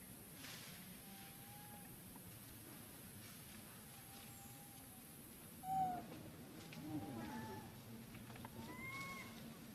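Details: Young monkey with its mother at the top of a tree, feeding on wild fruits; faint, thin tonal whistles drawn out at a level pitch, then a brief louder rising call near the middle, followed by a few soft upswept notes over steady background hiss.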